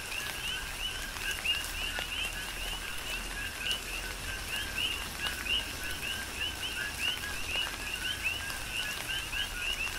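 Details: Chorus of coqui frogs on Hawaii's Big Island during tropical rain, dozens of short rising two-part 'co-kee' chirps overlapping continuously, backed by a constant hiss of falling rain and occasional louder drops.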